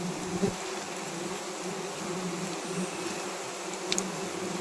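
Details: Honey bees disturbed at a wild honey harvest produce a continuous low, even buzzing drone with stacked tones that holds steady, broken only by a couple of faint clicks.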